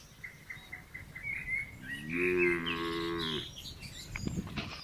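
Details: Red cow in a village, eating grass with a companion, lets out a single steady moo lasting over a second, while a bird repeats short chirps in the background.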